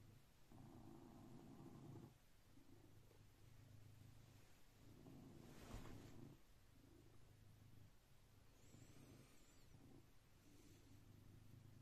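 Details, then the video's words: Blue British Shorthair cat purring as it wakes its owner every day at 6am sharp, a soft low rumble pulsing in breath-length phrases of about two seconds, with faint rustling between. "My 6am Cat Alarm"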